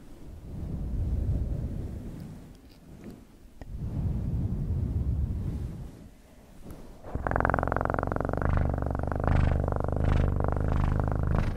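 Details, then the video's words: Domestic cat purring close to the microphone, a low, continuous rumbling vibration that pulses rapidly, softer and breathier at first, then louder and fuller with a buzzy, resonant tone over the final seconds. "Best PURRING sounds"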